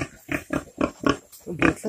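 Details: Pig giving birth, recorded 28 July 2020, gives a run of short, low, rough grunts, about four each second, in a steady pulsing rhythm with brief gaps between them.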